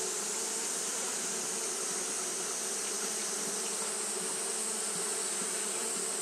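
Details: Massed wingbeats of Japanese honey bees fanning through a hot day, an unbroken whirring hum with a strong high hiss and a low buzzing band, level and steady.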